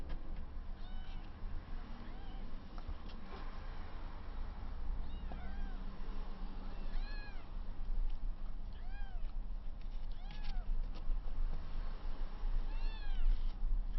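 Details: Three 22-day-old kittens, rescued with placenta still attached, play-fighting for the first time; the larger 400 g kitten tussles with two 350 g littermates. Thin, arched high meows come in scattered bursts, several overlapping, over a steady low rumble and handling noise.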